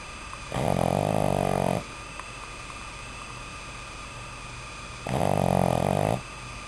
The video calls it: Howie the Snoring Boston Terrier Puppy